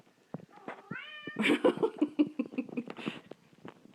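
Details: Indoor domestic cat meowing because it wants to go outside: a drawn-out tonal meow with a slight rise, followed by a quick run of short, busier meow-like sounds. The sounds are closely spaced and irregular, in a small room.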